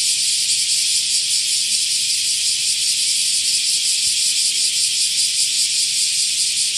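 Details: A male bear cicada in Osaka, beside its freshly shed nymph skin, sings a loud, harsh, pulsing buzz without pause; the species choruses early morning to noon, early July to mid-August.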